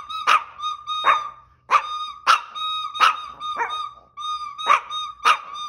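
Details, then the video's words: Chihuahua singing passionately, a sustained wavering howl held on a steady tone, broken by sharp barks and yips repeated roughly every half second to second. "Chihuahua Sings Passionately"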